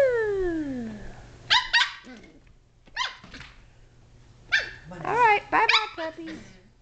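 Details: Shetland Sheepdog puppies, 7.5 weeks old, playing, climbing and wrestling indoors in a great room; a long falling tone opens, then short bursts of high, yappy barks and growly yips in quick clusters, with a person's voice nearby.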